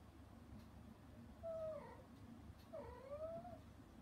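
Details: Domestic mother cat, shut out behind frosted glass while her kittens eat weaning food, meows anxiously toward them: two drawn-out meows a second apart, each dipping then rising, over a low steady indoor hum.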